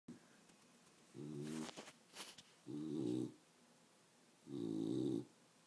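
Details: Female pet dog snoring while awake, indoors: three harsh, droning snorts about 0.6 seconds long, separated by pauses of roughly a second, with a few clicks and rustles between them.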